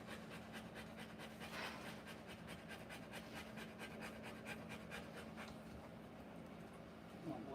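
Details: Rottweiler panting while giving birth to puppies: soft, rapid breathy huffs repeating steadily over a low hum, with faint human voices in the background.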